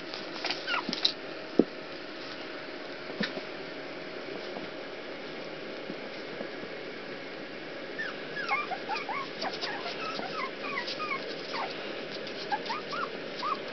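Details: Puppies that keep getting out of their pool give scattered thin, high whimpers, sparse at first, then a busier run of short rising squeals over soft scuffling and constant hiss.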